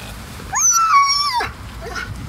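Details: Ninja, a pet dog, protests at the beach when told it is time to leave after fetch: one long high whine, sliding up then holding level before dropping, with a faint yelp after and a person calling him.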